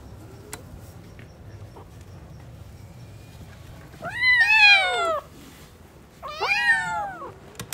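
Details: Newborn kittens at play give two loud, wavering meows with rich harmonics, each about a second long, the first near four seconds in, the second near six, after quiet room hiss and a few faint clicks.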